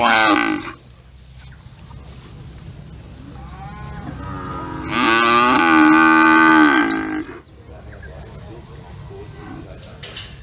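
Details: Cattle mooing: a short call at the very start, then a long loud harmonic low after about five seconds, rising slightly and held for two seconds before cutting off, with quieter background noise between.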